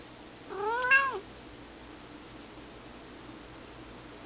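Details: Elderly female house cat, turning 18, begging for cheeseburger indoors while pawing at her owner's legs; one clear meow of about 0.7 seconds rises then falls, with a quiet room background and no other sounds.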